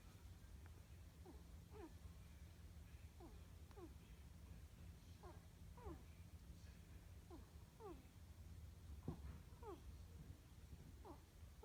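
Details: Wednesday, a pet ferret, snores while asleep indoors. Soft, squeaky, descending snore notes come in pairs about once a second over a steady low hum.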